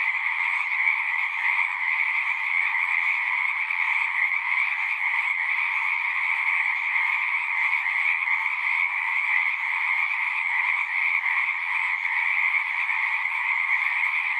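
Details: Frogs singing at a pond in a horse pasture, recorded with a Zoom 6: a dense, unbroken chorus of many callers, a steady trilling wall of sound with two bright bands, high and middle, holding level throughout.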